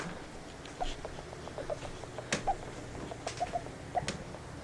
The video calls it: My hamster Princess making weird sounds